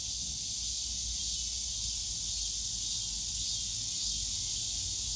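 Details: Summer-day cicada chorus from the bamboo forest at Yongsan Family Park, a steady shrill hiss-like buzz that never pauses, with faint pulsing at the very top and a soft low hum of distant park noise.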